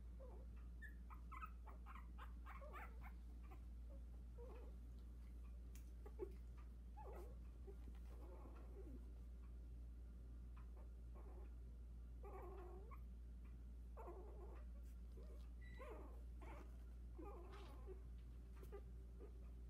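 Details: Four Havanese puppies at 16 days old, newly walking and one trying to climb out of the whelping box; intermittent soft whines and squeaks, some wavering, spread across a long stretch with steady low background hum.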